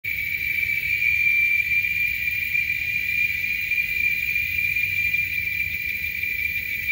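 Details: Chorus of male giant cicadas in Texas, louder than a lawnmower: a continuous shrill, high buzzing drone held at an even pitch with a slight pulsing texture and no pauses.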